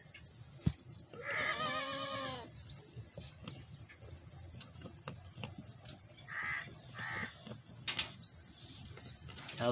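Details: Goats on a farm as a mother feeds her large male kid. One strong, drawn-out harmonic bleat comes early, with later muffled calls, a sharp click and farmyard rustling.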